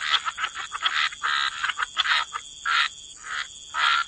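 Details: Croaking frogs at the waterside in wetlands: separate raspy bursts, short and irregular, roughly one each second, some doubled, with quiet gaps between and a faint high hiss behind.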